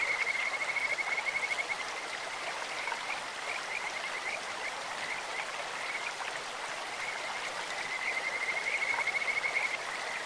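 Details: In a clear stream, a Kajika frog gives bird-like, high-pitched pulsed trills during the first two seconds and again near the end, with softer notes between, against constant babbling water.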